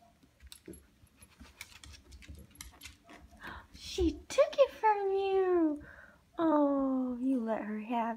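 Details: Corgi named Yuki indoors in a small room, playing over a new fetch toy with another dog, Keito; rising and falling whining cries in two long drawn bursts after faint tapping, jangling and quiet speech.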